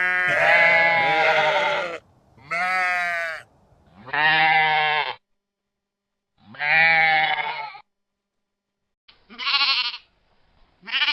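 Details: Sheep in a pastoral field flock giving drawn-out bleats, four long wavering cries with pauses, then shorter, higher bleats near the end.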